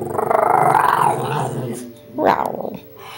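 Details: Shih Tzu "talking" to its owner while being photographed: a loud, pulsing, grumbly growl-moan lasting over a second, then a shorter rising second grumble, with quiet room noise between.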